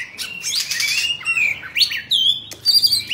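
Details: Caged Oriental magpie-robin, Bạch Bạng variety, singing with a fanned-tail dance: long pure whistles held and bent, then quick upward slurs and a high clear note at the end.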